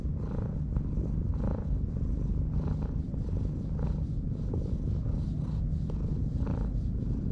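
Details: On a Japanese breakwater, a stray cat purrs under a stroking hand, low steady rumbling with a few clear inhale-exhale swells, a couple of soft clicks, quiet surroundings.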